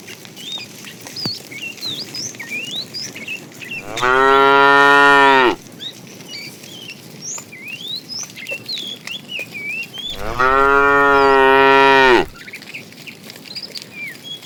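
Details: Tame cows driven every morning on a long journey to green grassy fields; two long, even moos about six seconds apart, with steady chirping of small birds throughout.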